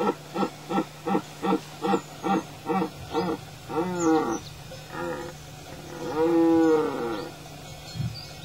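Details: Rutting red deer stag in the Tuscan-Romagnol Apennines, Italy, barking with a rapid series of about eight short, evenly spaced coughing barks, then longer, arching moaning calls.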